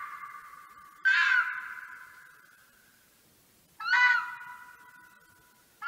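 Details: Red fox calling: drawn-out harsh nasal wails with a rough onset and a slowly fading tail, two full calls and the start of a third, repeated about every three seconds in a quiet setting.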